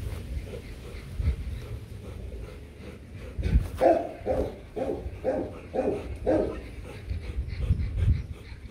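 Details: Loki and Siro, a Rottweiler couple, mating after several tumbles. After low background rumble, a steady series of six or seven short, mid-pitched whimpering pulses comes about every half second.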